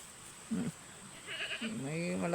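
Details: A goat gives a single nasal, wavering bleat that swells toward the end. Brief human speech comes before it, with a faint steady high hiss throughout.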